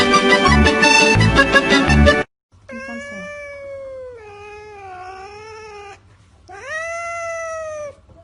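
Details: A burst of loud music, then a cat meowing in three sustained, tonal cries: a level one, a wavering lower one, and a final rising-then-falling meow, with a low hum underneath.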